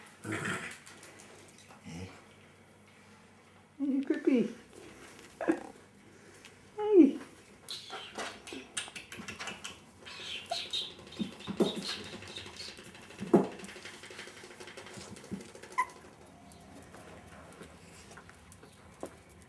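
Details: Jack Russell Terrier puppies aged five and a half weeks, heard indoors giving scattered short whimpers and yelps, a few brief cries rising and falling, spaced by quiet gaps, with human speech in between.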